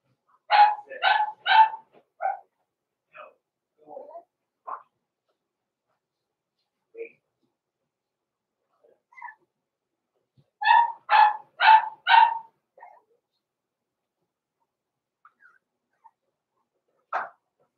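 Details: Blenheim Cavalier King Charles Spaniel puppies, born November 14, 2022, in an indoor puppy pen at Christmas time, give two bursts of three to four quick, high yapping barks, with softer scattered yips and a pause between bursts.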